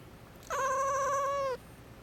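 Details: Miiko, a pet cat that gets angry when someone is about to sneeze, lets out a single drawn-out, even-pitched meow of roughly one second, ending with a slight downward slide; quiet room otherwise.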